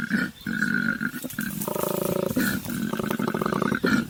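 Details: Wild koala on Kangaroo Island, Australia, moving between trees and eating eucalyptus, giving a deep, rasping, pulsed grunting bellow. It swells into a buzzy, vibrating rumble mid-sequence, with a steady high tone running behind.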